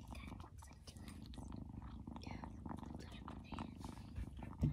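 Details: Loud purring from a young foster kitten during play and petting, a steady low rumble running throughout, overlaid with soft human voices, chewing-like clicks and a sharp knock at the very end.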